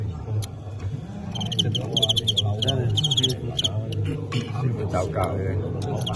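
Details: Fighting crickets in a match where a Tengxian cricket knocks out a Qingyuan one, a folk-culture contest; bursts of sharp, pulsed chirps with bright harmonics over the middle seconds, beneath steady low rumble and Cantonese chatter from onlookers.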